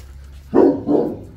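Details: A Boerboel, or South African Mastiff, kept as a pair with another of its breed in Egypt, gives two deep, short woofs about a third of a second apart, each loud and rough, with a faint low hum behind.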